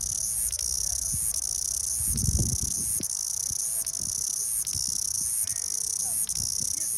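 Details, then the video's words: Steady shrill cicada drone, a dense high buzzing band that barely pauses, with small regular dips about once a second and some low knocking and handling noise below. "蝉鸣 Cicada"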